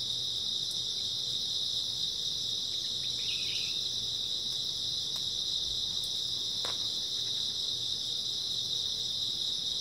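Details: Autumn-night grass insects produce a continuous high shrill chorus; a brief lower chirping call breaks through midway, with scattered faint clicks and a gentle low hum below.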